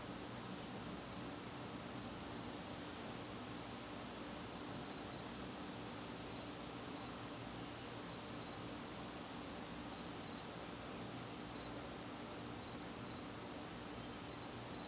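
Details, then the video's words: High, constant cricket trilling fills a garden on a September evening, with a second beating, pulsed trill slightly lower in pitch and a soft low murmur underneath. "garden crickets"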